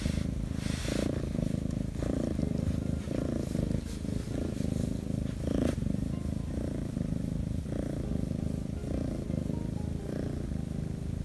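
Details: Continuous contented purring from Shattongi, a rescued Korean shorthair kitten, while being stroked, even with its belly turned up; low rumbling pulses in breath rhythm, some soft rustles and handling clicks.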